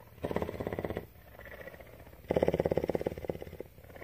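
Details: Captive female cougar purring at a rescue in Bridgeport, Texas; a moderate throbbing phase, a quieter lull, then a louder pulsing stretch that slowly fades.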